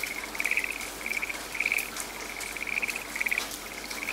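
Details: A frog calls in a quiet, rain-soaked forest with a buzzing trill that swells into louder rattling bursts roughly every half to one second. Heavy rain hiss fills the background.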